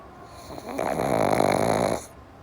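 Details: Sleeping pug, one of two named Java and Morgan, snoring: a single drawn-out rasping breath lasting over a second, buzzy and steady with a fluttering vibration, rising in and fading out, in a quiet room.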